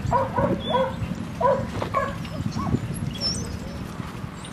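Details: Dogs named Rosy and Rocky playing at Seal Point Dog Park on the western side of San Francisco Bay, March 5, 2015; a few quick harmonic barks and yips in the first two seconds, with voices and outdoor background noise.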